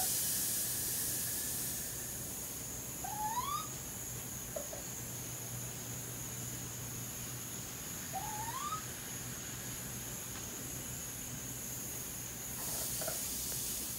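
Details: Raccoon; kit calls; young calling out while searching for their mother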